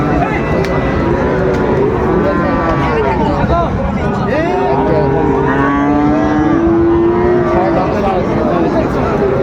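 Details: Friesian and crossbred bulls and calves at the Raniganj market in Dinajpur, 26 July 2024; several moos overlap midway, one long bellow sliding slightly, all under heavy crowd talk and vehicle rumble.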